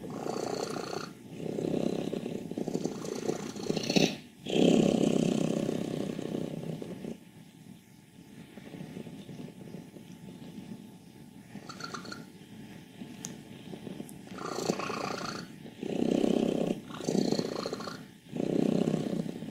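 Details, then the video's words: Wassilissa, a contented 14-year-old female cat from Leutkirch im Allgäu, Germany, in good health per her vet, gives long, loud, rough rumbling grumbles in bursts of several seconds, separated by quieter rattling breaths. "Alte glückliche Katze quiekt, rasselt, brummt"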